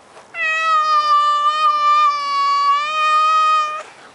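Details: Male Maine Coon cat in a garden, reluctant to leave his favourite bush, giving one long, steady, level meow lasting about three and a half seconds, rich in harmonics, with an abrupt start and stop and a quiet background.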